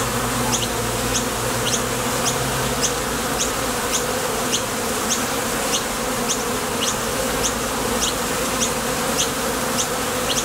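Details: Honey bees at a Top Bar Hive entrance, coming and going on nectar trips, produce an unbroken, deep buzzing drone. A faint lower hum is present for the first few seconds, and short high ticks repeat steadily throughout.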